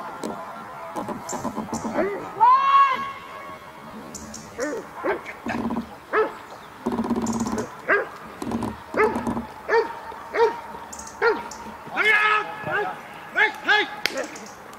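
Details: Dog Cobra van de Amorhoeve doing protection work at the NIK 2016 dog sport trial: a loud rising whine-like bark, then a steady run of short, ringing barks about every half second, with voices and crowd noise behind.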